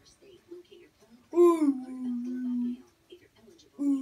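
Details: Basset Hound named Sully, a pet dog, being taught to say "I love you": a loud rising moan that slides down into a long, steady, droning tone for over a second, then a shorter repeat of the same moan, with soft murmurs between.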